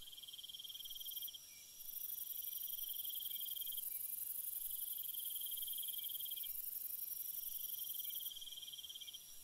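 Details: Crickets chirping at night in rhythmic pulsed trills, four bursts of about one and a half seconds each with short breaks, beneath a loud high continuous insect drone that briefly drops out.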